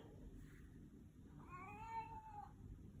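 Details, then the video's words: Domestic cat welcoming its owner home: one smooth, clear meow lasting about a second, rising slightly then easing down, answering a woman's affectionate words in a quiet indoor room with low background hum. "My Talking Cat Shadow greeting me when I get home with a hello"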